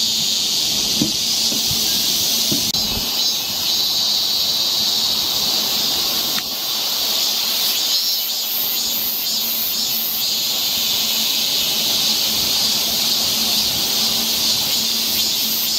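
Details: Cicadas singing along a forest trail near Seoul, Korea, in summer: a dense, unbroken high buzzing chorus, with a fainter pulsing shimmer above it from about three seconds on.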